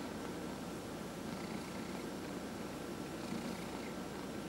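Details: Fourteen-and-a-half-year-old male house cat purring during a head massage; an even, low, throbbing rumble runs unbroken for the whole stretch, soft and close, with quiet room hiss behind it.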